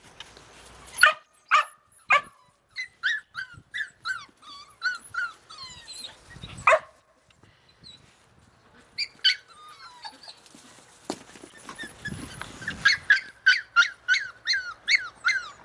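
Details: Several Australian Cattle Dog puppies from Slovakia give a steady run of sharp, high yips roughly every half second, mixed with falling whines, pausing briefly near the middle before the yapping resumes faster.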